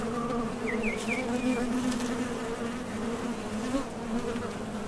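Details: Continuous humming drone of honey bees leaving and landing at the entrance of a Top Bar Hive while gathering nectar, with a short run of faint rising bird chirps early on.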